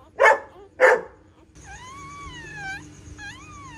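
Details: Female pointer dog giving birth to nine puppies at home; two loud barks, then a long, high, tonal whine that rises and falls, breaks off, and resumes briefly.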